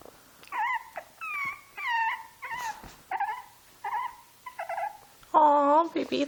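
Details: Young Shih Tzu attempting play with a two-month-old Shih Tzu puppy, giving separate nasal whines and whimpers roughly every half second, each bending down in pitch, before a person's voice breaks in at the end.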